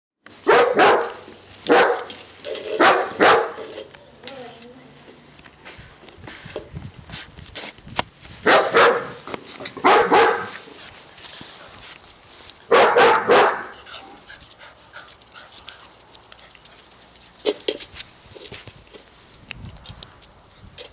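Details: Siberian Husky puppies giving repeated short, sharp barks and yelps in bursts, with quieter gaps between the bursts and some background voices.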